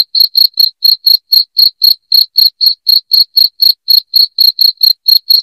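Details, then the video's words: Loud cricket chirping, played to drive rats out of a house: a shrill, high pulsed chirp repeated steadily about four times per second, evenly spaced, with nothing else audible behind it. "SUARA JANGKRIK NYARING"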